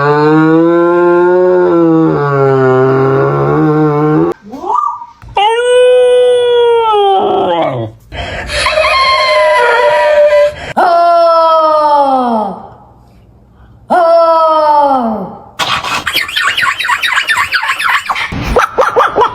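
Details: Pet dog making strange drawn-out vocal sounds: long wavering moans and arching whine-howls, each rising then falling, in bursts separated by brief pauses, with a sharper, noisier howling stretch near the end.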